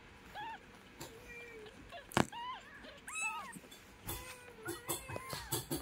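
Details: Mother cat with her kitten indoors, giving a run of short, thin arched mews at a steady pitch. The mews are scattered across the seconds between sharp clicks and a few knocking thumps.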